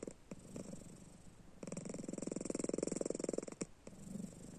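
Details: Snoring pet cat Panda, sleeping with eyes open; soft faint rattles at first, then a strong two-second stretch of quick, evenly pulsed low vibration before it fades again.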